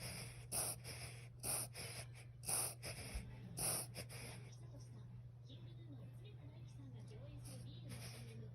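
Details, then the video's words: Morning reverse-sneeze-like fit of a ten-year-old toy poodle: four loud snorting inhalations about one second apart, then the breathing settles and quiets amid a constant low hum. "10才のトイプードル これって逆くしゃみ？"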